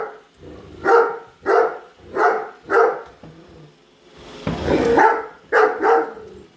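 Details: Pet Great Dane Padme barking at a Roomba she dislikes, chasing it; a steady series of deep, evenly spaced barks, roughly one every two-thirds of a second, broken once by a brief rush of machine noise.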